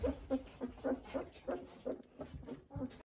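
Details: Eighteen-day-old Weimaraner puppies, walking better each day and finding their voices, give short squeaky whimpers in quick succession, about ten in three seconds, over soft rustling.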